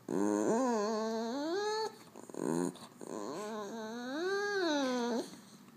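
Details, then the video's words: French Bulldog producing funny noises inside a small room: long yodel-like whines that climb, hold and bend, with a brief choppy yelp in the middle before another extended wavering moan. "French Bulldog funny noises"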